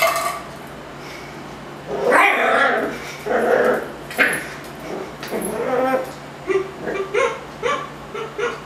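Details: A Miniature Schnauzer named Ruffus, annoyed by a Yakult pot, barks harshly several times. The barks break into a fast run of short, clipped yaps over steady room hum.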